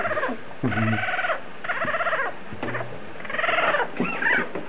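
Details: Two-week-old Yorkshire Terrier puppy gives repeated drawn-out nasal whines and squeaks, each lasting under a second with brief pauses, in a steady run of about five cries, recorded close up.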